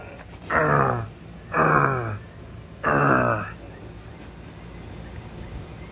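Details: Pet pig, a female, getting belly rubs: three drawn-out, throaty grunting calls about a second apart, each sliding downward in pitch, over a steady high electrical whine.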